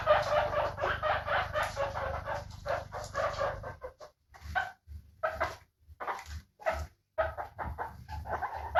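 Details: Guinea pig calling in a rapid run of squeaky notes at first, then slowing to scattered single chirps separated by short silences.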